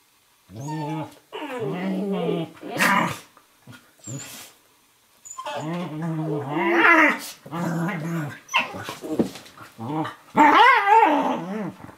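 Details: Kitchen-floor wrestling of a young Eurohound puppy, about 11 weeks, with a 4.5-year-old Nova Scotia Duck Tolling Retriever; rough growls in several separated bouts, a brief higher whine near the end, occasional thumps.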